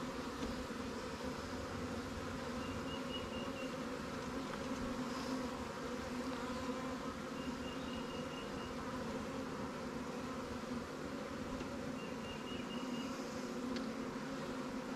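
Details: Honey bees from a newly captured swarm, housed in new Langstroth and Warre hives in an apiary while being given resources robbed from stronger colonies: a steady, dense droning hum, with faint high chirps repeating about every four to five seconds.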